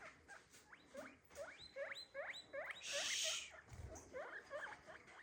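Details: Pet guinea pig calling indoors: a rapid series of squeaky whistles, each sweeping sharply upward, about a dozen in five seconds, with a short hissing rustle midway.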